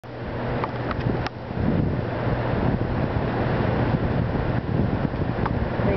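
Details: Steady wind and car engine noise with a low hum, a few faint clicks and muffled voices, and no animal calls.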